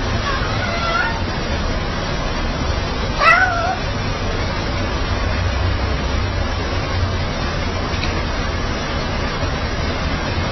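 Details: Fluffy domestic cat meowing coaxingly, as though asking forgiveness: one clear bent, wavering meow near the start of the second quarter, with a fainter earlier mew, against constant low rumbling noise.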